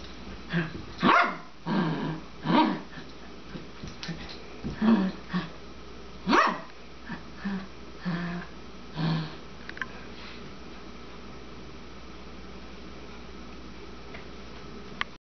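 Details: Female Papillon, 12 years old, playing with her bone by tossing and chasing it; a looser run of short barks, yips and softer grumbling noises at uneven intervals over a quiet indoor background.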